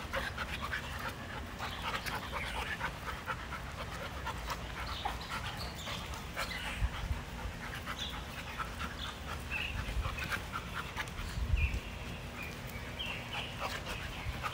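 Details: Dogs at play outdoors in a yard, with rapid rhythmic panting breaths throughout, a few sharper scuffs and thumps, faint high chirps in the distance, and constant low outdoor rumble.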